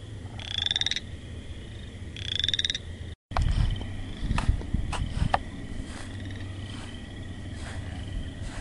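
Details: Frog giving two short buzzy pulsed calls with a rising tone, about two seconds apart, followed by a break and then scattered clicks and knocks over a low rumbling background.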